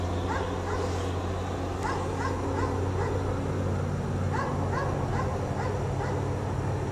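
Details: A dog chained outside all day in cold snow barks repeatedly, sharp yaps coming in quick pairs and triplets across the whole stretch, over a steady low hum.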